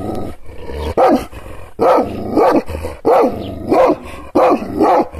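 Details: Kangal shepherd dog, angry after being provoked with hand gestures but not touched: a steady run of loud, harsh barks, several in quick doubled pairs, about one burst per second over a low background rumble.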